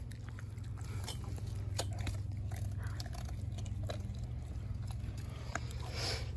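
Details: Denali, a four-month-old female American Blue Bay Shepherd puppy, gnaws on a raw turkey neck: irregular crunchy bites and sharp clicks, several per second, over a steady low hum.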